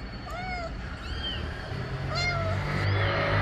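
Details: Mother cat calls repeatedly, asking that her kittens be placed in the nest. Four rising-then-falling meows come roughly a second apart against a low rumbling background.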